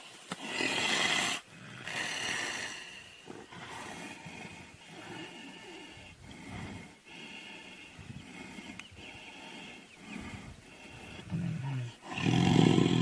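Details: Tiger fighting a lion, giving harsh, broadband roars and growls in loud, rough bursts, strongest in the opening second and again near the end, with ragged snarling between.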